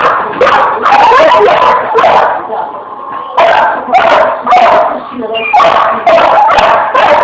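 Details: Pit Bull dog at play with a fan, giving dense bursts of loud barks mixed with whiny, yelping tones, with a short quieter stretch near the middle.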